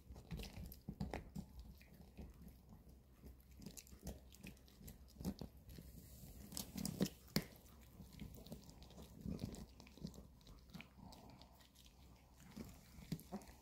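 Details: Two pet dogs, Bomi the Maltese and Coco the long-haired Chihuahua, gnawing weekend dog chews indoors; dense crunching and biting clicks come in irregular bursts, louder snaps near seven seconds, over a low room hum.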